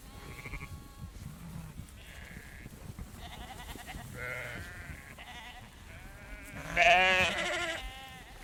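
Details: Herd of sheep walking around close by while a female farmer shakes food; overlapping wavering bleats from several animals of differing pitch, with a loud nasal bleat near the end over a background of shuffling and rustling.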